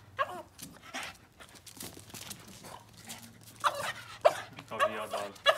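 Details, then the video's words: Boston terrier named Yoda, indoors, playing with his ball and getting worked up at a broom; short excited yelps and whining barks come in bursts, loudest near the end, with a low steady hum underneath. "Boston terrier Yoda playing with his ball and gets crazy at the broom!"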